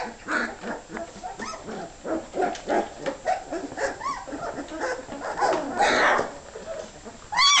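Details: Hungry puppies getting ready to eat, a chorus of high whines and yelps overlapping in quick bursts, with a longer rising whimper near the end.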